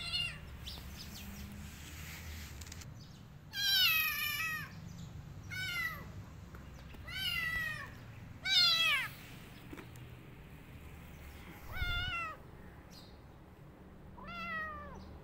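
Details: Kitten hiding in a jacket meows repeatedly, about every one to two seconds in places, each cry high, bright and arched, falling at the end; low room hum and soft rustling underneath.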